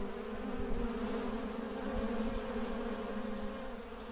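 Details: Swarm of honey bees humming in Mandore Garden, Jodhpur, Rajasthan, recorded 12 February 2017; a dense, continuous low buzz with stacked overtones holds at an even loudness throughout, with faint wavering as individual bees pass.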